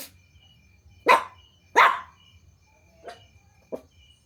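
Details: Puppies barking at strangers after hearing strange noises: four sharp barks, two loud close ones near the start, then two softer shorter ones, over a steady low hum and faint insect chirping.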